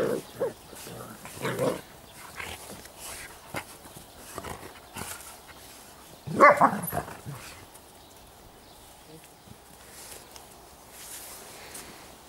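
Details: Sparse yelps from Giant Schnauzer puppies of the Blackmoore N litter, one loud squealing burst midway, with soft human speech and rustling between the calls.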